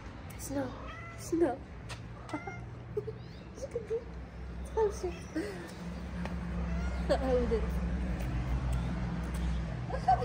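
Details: Homeless ginger she-cat and her companion, stray street cats in Morocco, playing. Short, scattered meows appear at irregular moments, a few brief rising cries, amid steady low-frequency hum and talking nearby.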